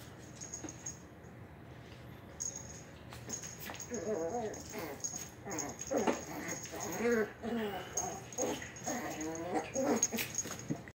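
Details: A young Shih Poo mother, one year old, wrestles playfully with her 8-week-old puppy in the living room. After a quiet start, warbling growls and whimpering grumbles rise and repeat in quick bursts, punctuated by sharp clicks.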